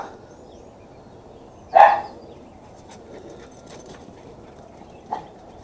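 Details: A single loud sharp bark from Max, a Chihuahua cross pet dog dashing about wildly, then a softer short yelp a few seconds later over a quiet background.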